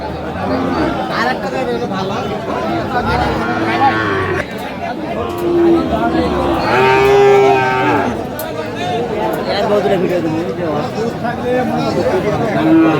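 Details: Sahiwal bulls at a crowded cattle market in Bangladesh; a few deep, sustained moos rise and fall amid constant chatter of buyers and sellers and nearby voices.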